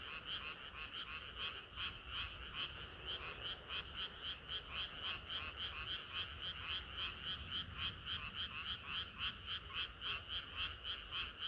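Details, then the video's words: Frog chorus on a hot summer night, led by rapid, regular croaks pulsing about three to four times a second over a dense background of other calling frogs. "개구리들의 합창은 끝이 없어라"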